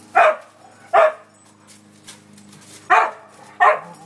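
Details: Dog barking while playing; four short, sharp, loud barks in two pairs, the pairs separated by a quiet gap of about two seconds, with a faint low hum in the background.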